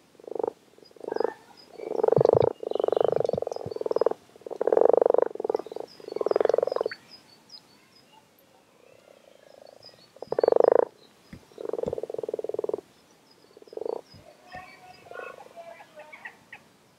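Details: Frogs gathered in numbers at WWT Castle Espie, calling in a chorus of low pulsed croaks that swell in overlapping bursts lasting one to two seconds with short pauses, while faint high bird chirps sound in the background.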